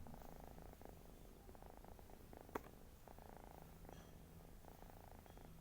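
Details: Snoring house cat, a continuous low vibrating rumble with regular breathing swells, one sharp tick midway and faint background hiss.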